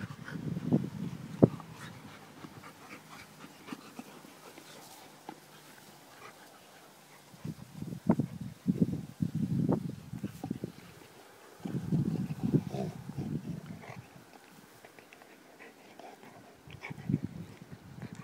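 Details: Homer, a Labrador Retriever waiting for Santa, pants and whimpers indoors in loud breathy bursts of several seconds each, with short quiet gaps between them and a few sharper single sounds.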